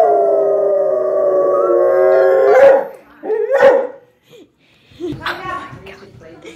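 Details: Dog crying for another dog: a long loud howl fades into short sharp barks and whimpering yelps, then quieter broken whining toward the end.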